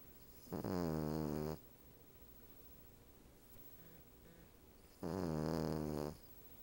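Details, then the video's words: Sleeping Cavalier King Charles Spaniel, a female resting on a couch back with a Siamese cat dozing next to her, gives two long rumbling snores about a second each, around four seconds apart, separated by near silence. "Cavalier King Charles Spaniel, snores!"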